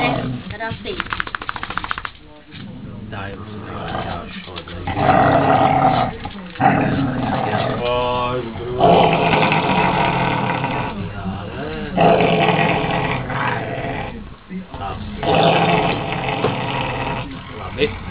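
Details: Pet Cesky Terrier Broček vocalizing indoors as if telling about her day, producing long, rumbling, roar-like moans with shifting pitch in several bursts, interleaved with human voices talking in the room.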